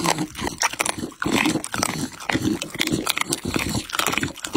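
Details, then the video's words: Pit Bull eating chicken and raw meat: dense wet crunching and chewing, rapid irregular bursts of tearing and biting with brief pauses, close and loud throughout. "ASMR MUKBANG PITBULL Ăn thịt gà và thịt sống"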